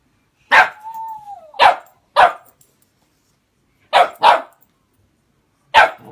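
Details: A pet whippet puppy barking: six sharp, loud single barks spread over six seconds, the first followed by a thin sliding whine, in an otherwise quiet room.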